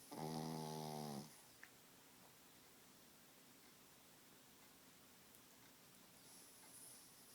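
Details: Small sleeping Pekingese dog snoring loudly indoors: one rasping, buzzy snore lasting about a second with a strong low harmonic stack, then quiet breathing and faint room noise.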